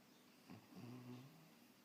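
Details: A sleeping French Bulldog puppy snores softly, a low droning rumble with a brief snuffling catch.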